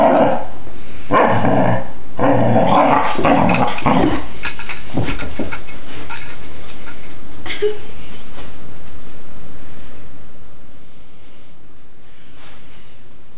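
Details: Young female Dobermann, four and a half months, growling and barking in play on February 26, 2011; rapid raspy growls and a few barks fill the first eight seconds, then quieter scuffling with fainter sounds.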